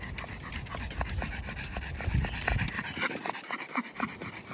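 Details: A pug panting hard while out on a walk in the summer heat, rapid rhythmic breaths with faint whimpers, a woman urging it to go home and traffic noise nearby.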